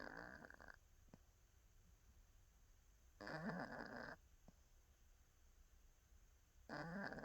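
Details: Napping cat snoring in short rasping breaths about a second long, spaced roughly three seconds apart, with near-silence between them.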